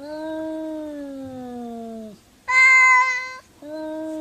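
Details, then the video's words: Pet cats conversing: a long, low, slowly descending meow, followed by a short, higher-pitched bright meow, then another low meow starting after a brief gap. "Cats Talking To Each Other"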